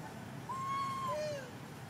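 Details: Baby monkey crying non-stop while its mother ignores it: one long, steady whistled cry held level for about two-thirds of a second, then a shorter, lower cry that slides downward, over a faint low background rumble.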